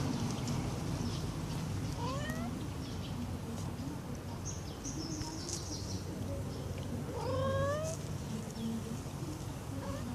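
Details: Domestic Shorthair kitten, three months old, one of three orphaned littermates hand-raised after being born under a porch: thin, rising meows at intervals over a steady low background hum.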